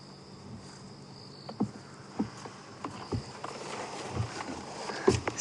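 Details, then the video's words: At night on a sunset safari drive in Kruger Park, an African buffalo grazes about 3 ft away, crunching and tearing grass every second or so and breathing out through its nose, with faint crickets. "And I wonder if you can hear this buffalo grazing. I wonder if you can hear the crunching."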